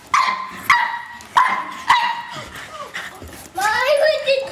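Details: Pug named Ruby battling the vacuum cleaner, giving four sharp, ringing barks about half a second apart, then a short pause before a person starts speaking over a fainter yip.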